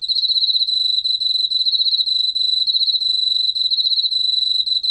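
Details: Unbroken high-pitched pulsing trill from an Emma field cricket, fast regular chirps sustained throughout with faint low background rumble.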